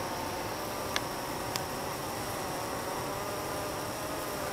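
Honey bees fill the night with a steady, dense hum as they fan nectar into honey.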